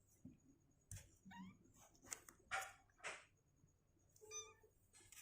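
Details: Two-week-old kittens, on day 16, with legs growing stronger and unwilling to stay in their box; two faint harmonic mews, one short and rising, one lower and held, amid soft rustling and bumping.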